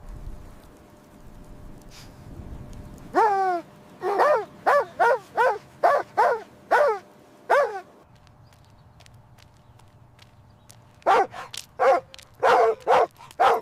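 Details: Mother dog and puppies at play in fresh snow outdoors; a quick series of about nine sharp, repeated barks, a quiet gap of a few seconds, then another rapid run of about seven barks.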